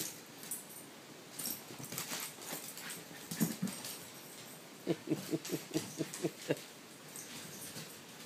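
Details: A puppy during rough playtime with another dog, antagonizing it: soft scuffling and panting, then a run of short, regularly spaced whimpering yelps, about six in a row.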